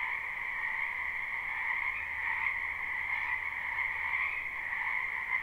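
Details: Wetland frogs calling at night in spring, captured live: a thick continuous chorus of pulsing trills, slightly wavering in strength, over a soft low drone.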